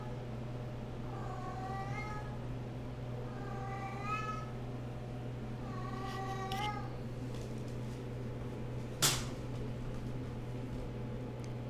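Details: RagaMuffin kittens about 8.5 weeks old, running about playfully indoors, give three short arched meows about two and a half seconds apart over a steady low hum, followed by a sharp knock.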